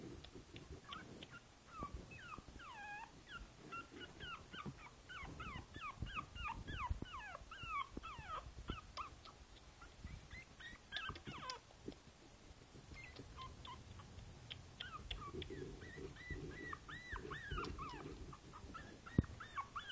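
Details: Princess Izzy, a Boston Terrier puppy aged five weeks, whimpering from a basket on 12/4/2011: long runs of fast, high, pleading whines, a lull midway, then further wavering cries over low background rumble.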